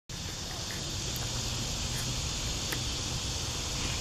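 A cicada sings a steady, high, hissing drone with a low rumble of wind underneath.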